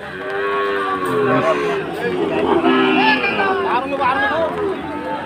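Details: Sahiwal bull cattle bought by a farmer in Chattogram on the second day of Eid, in the rain; several deep, drawn-out moos overlap amid steady crowd chatter and background noise.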